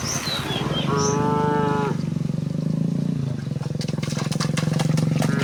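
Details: A herd of cows returning home through village streets on a bright morning. A single strong moo of about one second follows high bird whistles, with a pulsing motor-like drone and scattered clicks afterward.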